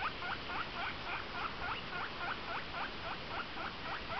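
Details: A pet guinea pig (Cavia porcellus) gives a fast run of short, squeaky wheek chirps, several each second.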